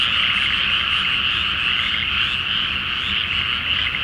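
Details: Brief burst of a frog chorus from a water-filled Japanese rice paddy on a full-moon night before planting; rapid overlapping croaks form a dense, even rattle.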